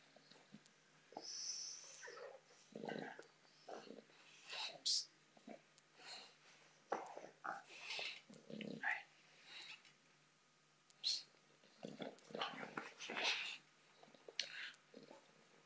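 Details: Botox, a female bulldog, playing with a soccer ball indoors: short breathy snorts, grunts and wheezy huffs come in uneven bursts, with brief pauses between them.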